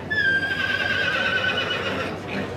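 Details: Welsh Cob type pony, a yearling colt, gives a long ringing whinny that holds high and falls gently for over a second before fading, with faint background noise.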